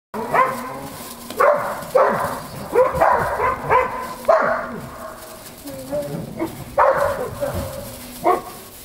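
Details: Eight-week-old Belgian Malinois puppies playing in snow, giving short harmonic yips and barks in bursts roughly every second, with brief whines between and possible human voices in the background.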